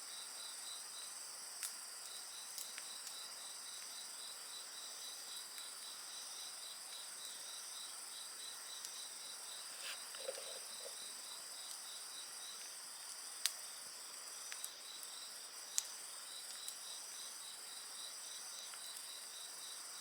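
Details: Continuous shrill ringing and fast pulsed trilling from many insects fill the night air around a campfire, punctuated by several sharp, loud pops and crackles of burning wood and a short low sound near the middle.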